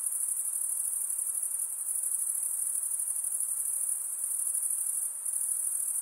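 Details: Night-time insects produce a constant high, fast-pulsing ringing chorus that stays level, with a brief dip near the end, above a faint airy background.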